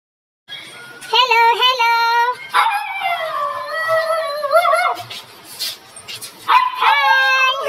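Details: Siberian Husky puppy vocalizing in a long, wavering, whine-like howl with rising and falling pitch, several drawn-out sections with short pauses between them; a person's voice is possibly heard faintly.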